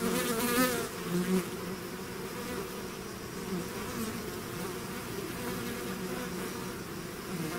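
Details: Bees swarming out of their hive make an even, thick buzz; a single bee zips close to the microphone in the first second and a half, its whine louder and higher before the mass hum settles back.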